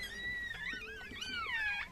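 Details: A Chihuahua mother with her seven newborn puppies. Sustained high, thin squeals hold a steady pitch, then rise and waver before dipping at the end. Layered overtones and a quiet room background.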